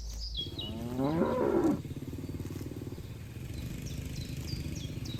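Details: Cattle in a herd grazing a green field: a hoarse, rumbling moo that rises then falls over about a second, followed by steady low rumble and a few faint bird chirps.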